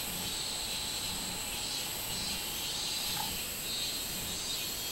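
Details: Minminzemi, the robust cicada, recorded on 24 July 2016: a steady high shrill drone that swells softly in slow waves, with a brief faint whistle midway.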